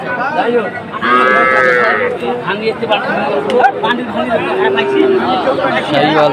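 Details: Sahiwal bull calves bought by a Comilla farmer, Bangladesh, 6 July 2024: a raised, harmonic-rich calf call lasting about a second, later a lower drawn-out moo, amid steady human chatter and talk.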